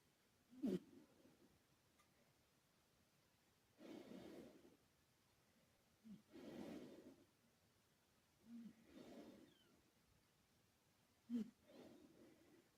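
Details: Sleeping male British Shorthair named Karumo, a former rescue cat, breathing in soft, low snores roughly every two to two and a half seconds, each a breathy hum with small snorts, over a quiet hiss.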